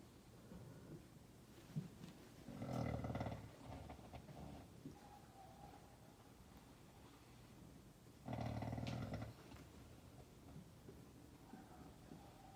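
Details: A horse lying asleep and snoring: two loud, broad rasping snores about five seconds apart, each roughly one second long, low and rumbling with a noisy upper hiss, quieter breathing in between.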